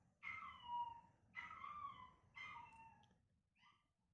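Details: Three sliding, whining howls come from the young male Chihuahua Chester during a test playing back his own voice. A faint short yelp follows after a pause, then quiet indoor hush.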